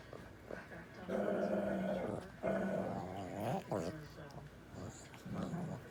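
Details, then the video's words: Labrador Retriever making drawn-out, talking-like growls and moans, long harmonic vocal stretches from about 1 to 4 seconds, then shorter grumbling bursts; a person's voice is also present. "sounds like Bandit is talking"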